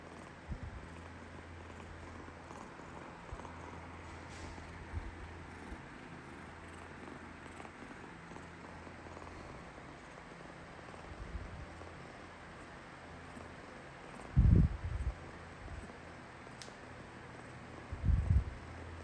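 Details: Pet tabby cat in Taiwan purring, its purr sounding rapid and hurried: a steady low rumble running through the first ten seconds, then two short loud thumps near the end.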